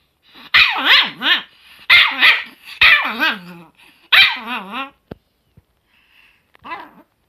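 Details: Chihuahua, a pet dog, filmed in June 2018, barking in high, rough yaps in quick clusters of two or three, some sliding down into wavering whines, then a couple of faint soft yips after a pause.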